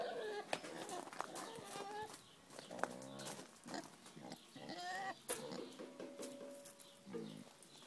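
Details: A female Vietnamese pot-bellied pig gives short, nasal, hen-like clucks and grunts with a longer drawn note, imitating the hen she spends all day with, over scattered clicks and knocks.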